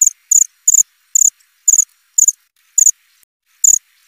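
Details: Loud cricket chirps, very high and buzzy, each a short burst of quick pulses, coming about every half second with uneven gaps; a faint low thump accompanies some chirps.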